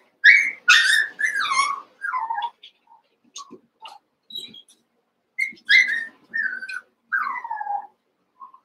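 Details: Cavalier King Charles Spaniel puppies, Daisy's litter of six merged with Robin's two pups, playing together indoors; high, tonal whines and yelps that slide downward in pitch, coming in bursts with short quiet gaps between them.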